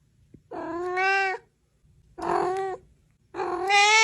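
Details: Cat meowing in the morning: three drawn-out, harmonic-rich meows, each about a second long, separated by short pauses.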